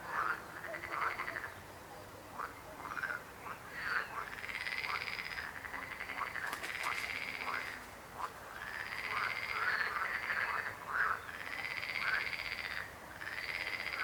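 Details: Frogs croaking in overlapping pulsed, rattling bursts, each lasting about a second and recurring every couple of seconds, with several callers forming a steady chorus.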